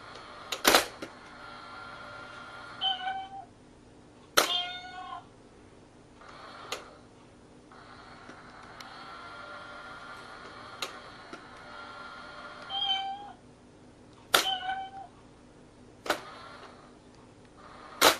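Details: Kitten hidden inside a box while a cat plays whack-a-mole with it: four short, thin, high meows, each bending downward, come in two pairs, mixed with sharp knocks and thumps from the box over a steady hum.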